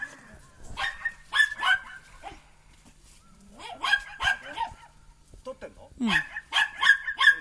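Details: Three Border Collie pups, Kiwi, Mutta and Lemon, at four and a half months, lively in the snow. They give clustered bursts of sharp, bright barks separated by short quiet gaps, with human voices underneath.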